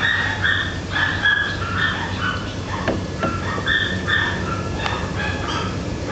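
A Basenji calls in a string of short, warbling, yodel-like notes that rise and fall, several per second. Faint sharp clicks and a low background rumble sound underneath.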